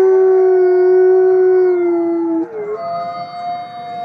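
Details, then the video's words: A forest wolf howl, used for communication among wolves: a smooth, low, sustained tone that slides slightly downward over two and a half seconds before a higher voice takes over and holds steady. "العواء لغة التواصل بين الذئاب في الغابة"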